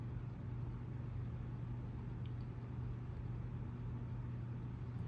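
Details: A steady low mechanical hum like a running engine drones throughout, with no animal voice heard.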